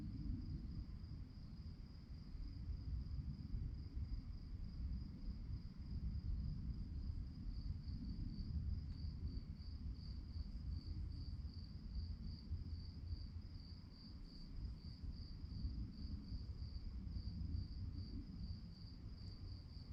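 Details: High cricket chirps pulse on and on through the night, quick and regular, while a deep, rolling low rumble fills the background.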